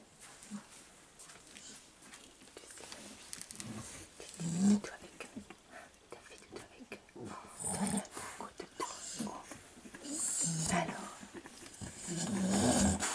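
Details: Staffordshire Bull Terrier mother with her four-week-old puppies from the 34th litter, recorded 11 November 2018; short low growling bursts and soft whimpers come in uneven spurts, with human voices over much of the recording.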